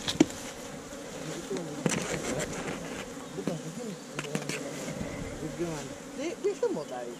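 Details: Many honey bees buzz from a nest inside a tree trunk as hunters harvest its honey, filmed with a GoPro Hero5 Black. A continuous, wavering drone with shifting tones is broken by sharp clicks and knocks, and voices are heard.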